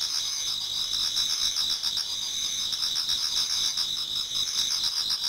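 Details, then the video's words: Chorus of many insects in a Japanese garden in autumn as dawn approaches: steady bright high trilling bands layered with rapid rhythmic chirps, about four pulses a second. "Autumn Insects voice Towards dawn"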